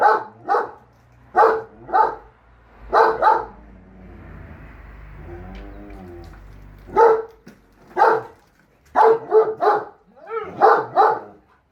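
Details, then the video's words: German Shepherd Enzo, who finds the lawn mower evil, and Siberian Husky Shira, pet dogs, trading barks: paired sharp barks, a lull with a low rumbling motor hum, then a fast burst of repeated barks and yelps. "GSD & Husky Arguing Whether The Lawn Mower Is Evil Or Not"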